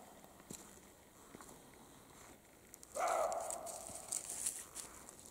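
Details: Carpathian mountain roe deer, male and female, in the spring mating period; soft footsteps and rustling leaves, then one strong, raspy dog-like bark, followed by more crackling in the undergrowth.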